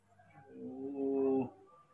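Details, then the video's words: Baby monkey named Mobi, hand-raised, afraid of losing his father; a short tonal wail with steady harmonics, swelling and holding before breaking off abruptly, in a small indoor room. "baby monkey Mobi is very afraid of losing his father"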